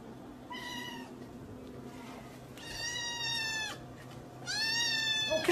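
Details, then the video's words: Domestic cat meowing three times at roughly two-second intervals, each meow fairly short and bright, falling slightly at the end, over faint background hiss. "Funny Cats"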